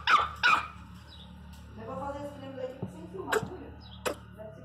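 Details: Angry pinscher puppy at home: two sharp high yips at the start, then a drawn-out wavering whine and a few short clicks and yelps, with a person talking nearby.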